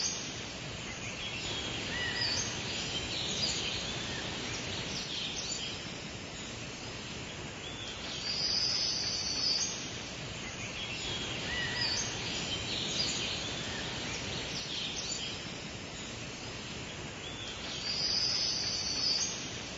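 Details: Summer cicadas chirping and singing as a continuous shrill buzz that swells roughly every five seconds, with scattered short bird chirps above it.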